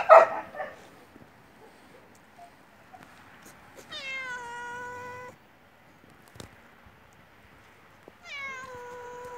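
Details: A hungry yellow stray cat that shows up daily in front of the house gives two drawn-out, slightly falling meows, begging for food; passing cars, birds and a barking dog are heard nearby.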